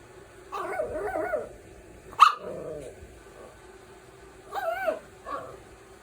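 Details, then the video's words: Little puppy making funny noises, barking and growling: squeaky, wavering yips and whines in short bursts, one sharp high yelp, and a low rumbling growl, with pauses between. "Puppy Barking & Growling"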